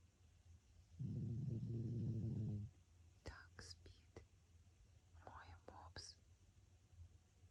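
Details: Pug named François snoring in his sleep: a loud, low, rattling snore lasting about one and a half seconds, then soft human whispering with faint clicks in a quiet indoor room.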